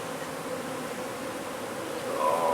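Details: Droning hum of a honey bee hive under a wood pile in McAllen, Texas, during removal: a steady, even buzz that swells slightly louder near the end.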